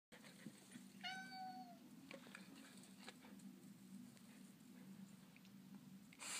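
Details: Small orange tabby cat standing up to dogs indoors: one drawn-out, slightly falling meow with clear harmonics, followed by low household hum and scattered soft knocks.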